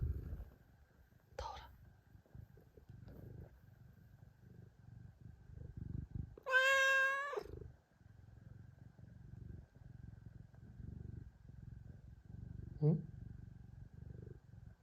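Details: Domestic cat purring in a steady low rumble of soft pulses for most of the recording. A loud, drawn-out, wavering meow breaks in midway, and a brief chirping call follows near the end. A faint steady hum sits in the background.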